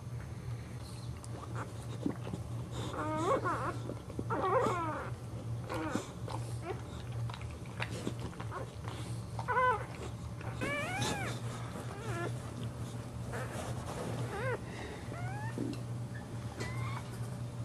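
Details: Boxer dog giving birth for the first time, indoors on the floor in a shallow box lined with green outdoor cushions, newborn puppies present; repeated high, whiny squeals with rising and falling bends in short bursts over a steady low hum.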